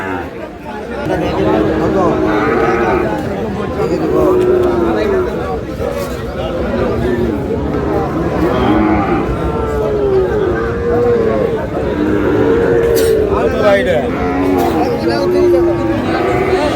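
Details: Sahiwal cattle at a busy Madaripur cattle market in Bangladesh, where a farmer buys a bull calf, on 3 April: several short, wavering moos, some rising then falling, recur every few seconds amid constant crowd chatter and men talking.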